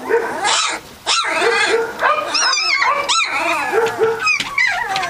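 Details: Several three-week-old Catahoula Leopard Dog puppies cry together: loud wavering whines and sharp upswept yelps, with a brief lull near the first second before the overlapping squealing resumes.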